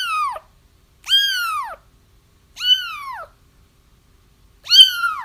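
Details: Kitten cries used for trapping a feral mother cat: four drawn-out, wavering mews, each arching high and then dropping, separated by short silent gaps.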